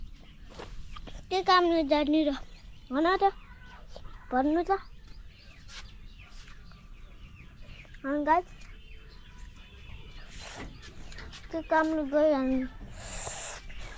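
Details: Billy goat calling repeatedly: a run of quavering, harmonic bleats, some in quick pairs, spread over the recording, with voices and scattered knocks between calls.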